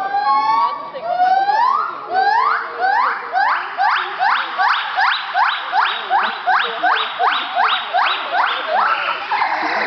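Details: A gibbon at Parken Zoo on 2 June 2011 gives loud, rising whoops that quicken into a fast, steady run of swooping hoots.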